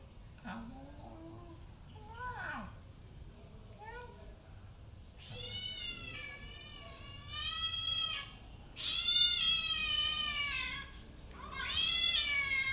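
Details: Cats meow repeatedly, with drawn-out, wavering calls that rise and fall in pitch, while playing and fighting.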